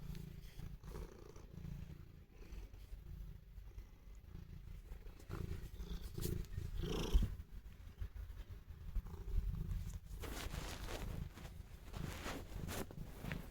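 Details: Pet cat purring affectionately toward its owner, a continuous low throaty rumble lasting the whole stretch, with some rustling and handling noise in the later part.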